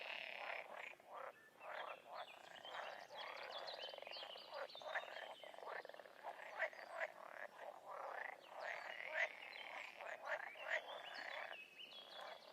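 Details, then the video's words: Chorus of wild frogs: repeated harsh, clicking croaks layered over a steady rattling drone, numerous animals calling together without pause for the whole stretch. "Toads & Frogs in the wild"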